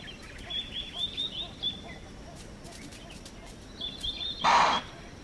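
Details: Impala in the African bush of Manyeleti Game Reserve, South Africa, giving a loud, explosive alarm chuff on detecting a nearby predator: one short, harsh burst near the end, after several seconds of high twittering birdsong.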